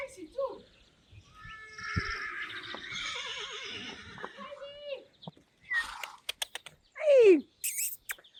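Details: Friesian horse whinnying: a long wavering, tremulous call with layered harmonics, followed later by a sharp falling squeal, with clicks and other short noises in between.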